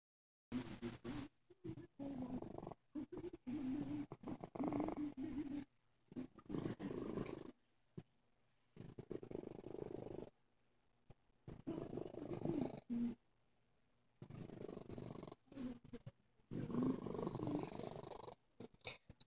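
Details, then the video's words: Sick cat purring, a low rough vibrating rumble in bursts of a few seconds separated by quiet pauses as it breathes in and out. "Sicky Purr"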